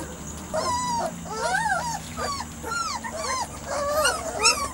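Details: A litter of Weimaraner x Vizsla puppies, three to four weeks old, whimpering and whining together: many overlapping high, arching squeals and short yips, rising and falling over a steady low hum.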